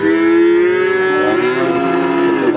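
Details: A horned young male Limousin calf at the Gorang-Gareng livestock market in Magetan, after Eid al-Adha. It gives one long, steady, low moo that lasts almost three seconds and stays level in pitch, then fades slightly at the end.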